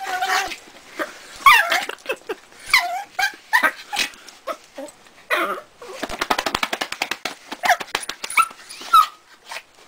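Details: A dog named Lucy making unusual non-dog noises: a run of high, squeaky whimpering yelps and whines, with a fast rattling burst of short repeated sounds in the middle and more squeals after.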